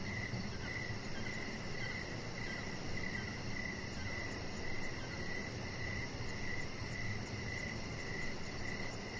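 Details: Crickets chirping outdoors in the evening near a deck, evenly spaced short chirps roughly every half second, with a continuous fast high trill and low rustling noise underneath.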